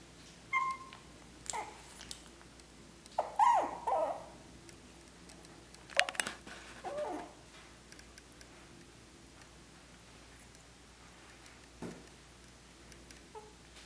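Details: Male Morkie whimpering indoors: a few thin, wavering high whines, the clearest early on, then fading to quiet with occasional rustles and thumps.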